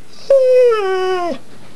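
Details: Pet pit bull Harley, hidden under a bed in a small room, gives one long, steady whine-howl lasting about a second, starting slightly higher and sliding gently down before cutting off abruptly; the room is otherwise quiet.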